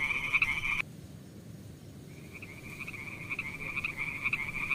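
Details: In a pond, a frog's high pulsed trill sounds for under a second, falls silent for over a second, then returns and builds steadily in loudness to the end.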